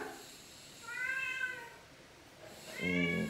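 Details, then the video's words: Talkative male cat Fifi answers his owner with a smooth, drawn-out meow, then after a pause a second meow overlaps the owner's voice as she speaks Tagalog to him indoors. "TALKING CAT FIFI"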